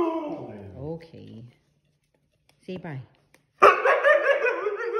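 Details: Juno, a Siberian Husky, indoors in a small room: wavering, falling, harmonic yowls for about a second and a half, a short rising-and-falling call after a pause, then a loud, rough, sustained outburst to the end.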